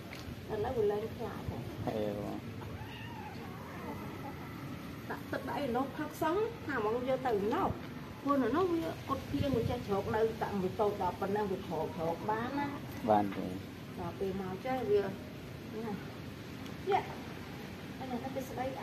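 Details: Abandoned kittens at a pagoda being fed, giving many short, wavering meows throughout, overlapping one another, with people talking in the background.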